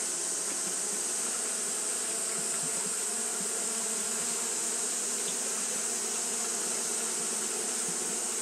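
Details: Fanning Japanese honey bees during hot weather give a constant massed buzz, low humming layers flickering slightly, while an even shrill hiss sits high above without a break.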